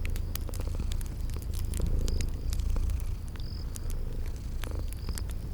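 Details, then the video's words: Sleeping kitties purr by a crackling fireplace in a spring garden setting: a deep, steady rumbling purr that swells and fades, mixed with sharp fire crackles and a few short high insect-like chirps. "Relax with Cute Sleeping Purring Kitties by a Crackling Fireplace"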